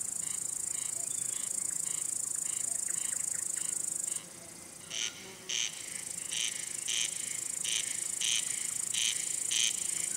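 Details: Male cricket singing by rubbing its wings, a signal to attract or court a female or scare away other males; faint chirps at first, then clear pulsed chirps about twice a second over a constant high-pitched background hiss.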